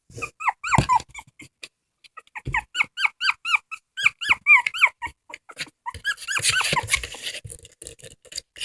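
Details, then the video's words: High-pitched squeaky dog cries, short hooked notes that rise sharply then fall, come in irregular bursts. A stretch of hissing noise appears near the end. "Funny dogs crying"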